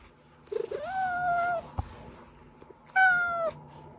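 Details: Domestic cat, a recording used to call hiding cats out, giving a drawn-out wavering meow after a short chirp, then a click, and a second shorter, louder meow that falls at the end; quiet indoor background.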